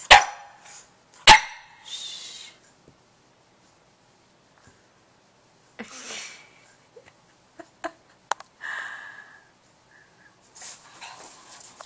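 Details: A Boston Terrier, afraid to take its ball back from a cat, lets out two sharp barks at the start, then a brief high whine and scattered soft sounds between quiet pauses.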